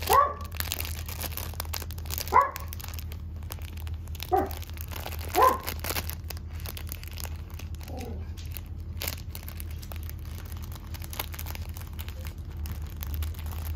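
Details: Kurumi, a three-month-old red female Toy Poodle puppy, at a Toy Poodle shop in Machiya, Arakawa, Tokyo. Five short, high yips come roughly every one to two seconds over a steady low indoor hum, with faint crinkling.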